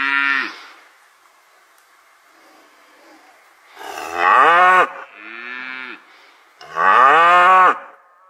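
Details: Cow on a village dairy farm in the countryside mooing repeatedly: three strong, drawn-out moos with rich harmonics and falling endings, separated by short quiet gaps and a softer lowing call.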